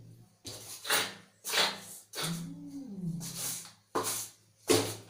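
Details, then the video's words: Angry cat hissing again and again in harsh breathy bursts about a second apart, with a bending, yowling moan in the middle. "Angry Cat Sound"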